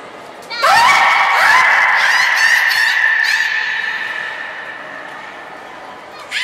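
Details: At Port of Nagoya Public Aquarium on 13 April 2019, the training beluga Nana utters a single drawn-out, slightly rising horn-like whistle with buzzy overtones. It fades gradually, and a new call starts at the very end.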